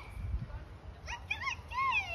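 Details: At Burgers' Zoo in Arnhem, the Netherlands, a siamang gives a short run of rising, wavering whoops that swoop up and bend back down.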